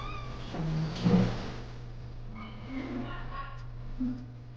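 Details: Rescued kitten on her first hospital visit, giving a few soft, faint meows with short harmonic wails, over a steady low electrical hum in the room.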